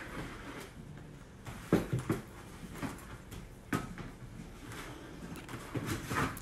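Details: Two six-week-old rescued puppies, a brother and sister, playing indoors and learning to bark; short sharp yips come in a quick cluster, then single bursts later, amid scuffling and thumps of play in a small room.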